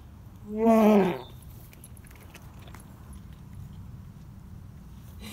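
A Dobermann gives one loud, throaty, groaning heave as it vomits, then falls quiet.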